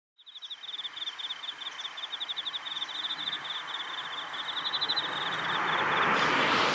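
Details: Insects chirp in a fast, steady, high, bright pulsing trill over a soft rush of background noise, recorded in a cosmos flower field.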